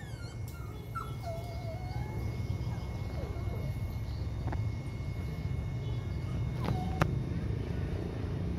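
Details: Brindle female Phu Quoc Ridgeback, listed as V03 at a Phu Quoc dog farm in Saigon, gives thin, wavering high whimpers and short whines over a steady low rumble, with a man talking and occasional sharp clicks.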